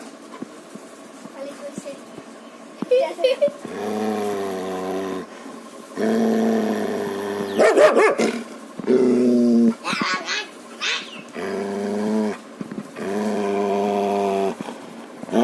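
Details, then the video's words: Three-year-old German Shepherd, filmed very close up inside its mouth, in a sudden angry reaction: several low, rumbling growls in bursts of one to one and a half seconds, with short higher sharp sounds between them. "ultimate close up POV of German Shepherd, inside mouth, angry agile reaction"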